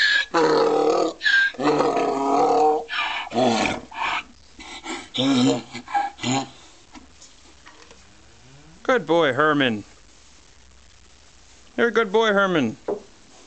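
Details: Herman, a pet donkey, is prompted by his owner to make his noise: loud, rough, harsh bursts repeated in a rapid sawing rhythm, followed by quieter stretches with two short wavering voice-like sounds.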